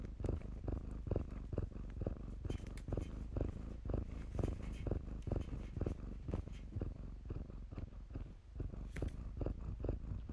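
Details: Kittens in blankets purring while they play, a low pulsing rumble rising and falling about twice per second, briefly dipping near the end, with light rustles from the bedding.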